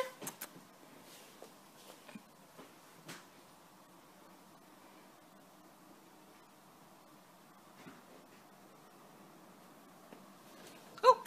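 A quiet indoor room with faint background hum and a few soft knocks and clicks.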